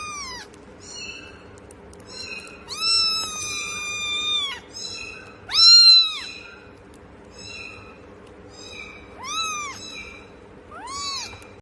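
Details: A cat meows repeatedly, about seven times. The calls are arched, whining and of varied length, with one long, level, stretched meow, all over a constant low hiss of background noise.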